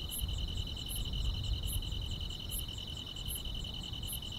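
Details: Rural grass insects on a summer night. A fast, pulsing shrill trill runs steadily, while sharp very high chirps repeat roughly every 0.8 seconds, over a low background rumble.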